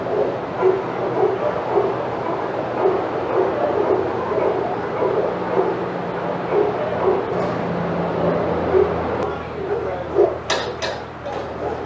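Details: Excited barking from senior dogs at Old Friends Senior Dog Sanctuary's outside yard as Titus passes. Short repeated barks carry through most of the stretch, with human voices and a few sharp clatters near the end.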